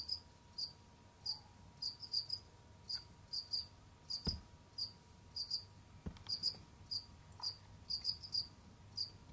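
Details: Indoor pet Jamaican field crickets, seen roaming, digging and hunting other insects, produce a run of sharp high chirps, singles and doublets, fairly steady in pace, with a low hum and two brief knocking sounds.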